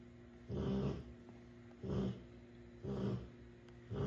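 A Rottweiler snores in deep, rumbling breaths that repeat about once a second.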